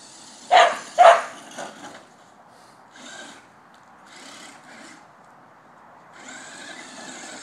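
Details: Border Collie chasing a remote-control car: two sharp barks near the start, a fainter third, then quiet with soft rustling and a toy car's whirring motor toward the end.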